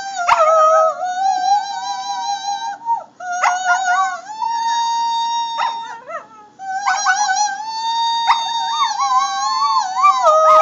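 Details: A Shetland Sheepdog puppy howls along to Amazing Grace in sustained, quavering howls that slide up and down in pitch, breaking into short yips between phrases, following the slow melody.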